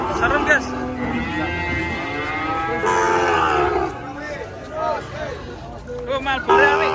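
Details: Cattle coming down off a truck at a market: one long, drawn-out moo of about three seconds with rich stacked harmonics, then shorter, lower lowing calls, with human voices chattering in the background.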